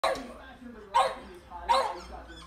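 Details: Two French Bulldogs, wanting to get inside but kept out, give three sharp, raspy barks a little under a second apart. French Bulldog.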